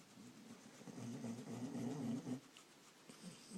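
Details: A sleeping dog snores once, a low rumbling breath lasting about two seconds with a buzzy, pulsing texture, followed by quiet room tone.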